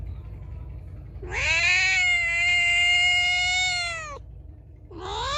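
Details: A feral cat gives one drawn-out, loud meow lasting nearly three seconds, steady and nasal with a rising start and abrupt end, then begins another rising meow.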